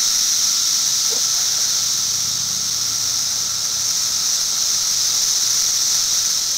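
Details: In 2008 footage, periodical cicadas keep up an unbroken high buzzing hiss, a steady thin tone below, and a short faint chirp early on.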